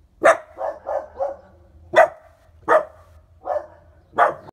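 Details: Roxy and young puppy Evie, five months old, bark at the neighbour's cat in Geneva: loud, harsh barks about every second, some doubled or tripled into quick rough bursts, irregularly spaced.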